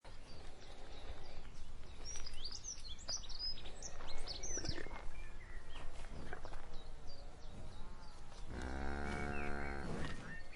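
Rough snorts and heavy breathing fill most of the recording before a cow lets out one deep, droning moo near the end. Faint bird chirps sound in the background.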